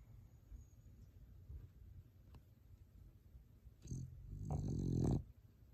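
A French Bulldog snores loudly, with deep rattling breaths after a few quiet seconds.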